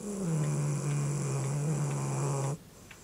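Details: Harriet, a dog, snores in her sleep: a single sustained low droning breath, pitch dipping slightly at the start and then holding level for about two and a half seconds before cutting off into quiet room tone.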